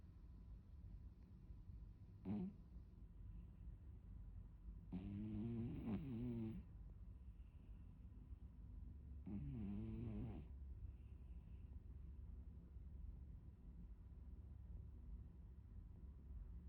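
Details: Sleeping Maine Coon cat snoring softly: a brief snort, then two gentle, rattling snores of about one to one and a half seconds each, a few seconds apart, over a low steady hum.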